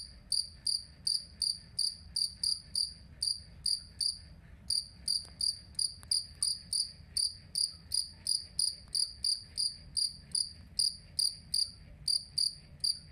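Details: Cricket known locally as jangkrik kalung, used as a tutor sound for training songbirds; clear high chirps repeated steadily, nearly three per second, each with a strong tone and a fainter upper band, brief pauses in the run.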